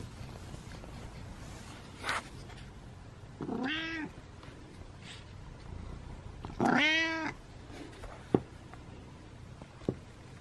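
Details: Kitten meowing twice, the second call longer, louder and more strained, with scattered taps and rustles between the calls.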